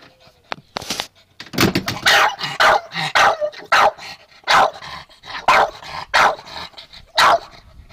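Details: Chester, a pet dog, barks impatiently at his owner's golf cart, eager for a ride he loves: a rapid run of sharp, loud barks, roughly one or two per second, after a few quieter starting yelps.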